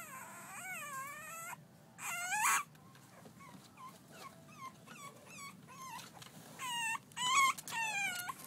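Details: Playing French Bulldog pups, six weeks old, let out a string of squeaky yelps and whines, some long and quavering, others short rising chirps, with louder shrill bursts near the end and quieter ones between.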